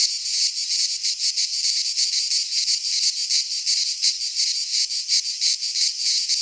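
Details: Cicadas singing in midsummer in a Greek pine forest: a dense, continuous buzzy chorus, high and rasping, pulsing about three times a second with no other sounds.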